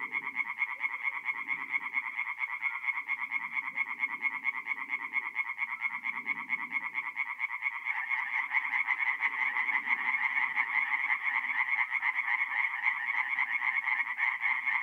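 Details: Chorus of singing tree frogs by night at a forest pond, north-east Italy, mid-April; continuous rapid pulsed rattling that swells louder about halfway through, over scattered quieter low croaking.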